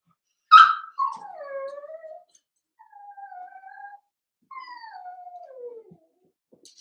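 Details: Indoor pen of Cavalier King Charles Spaniel puppies playing: a sharp yelp opens, followed by three thin, drawn-out whines, each sliding downward in pitch, with short pauses between them.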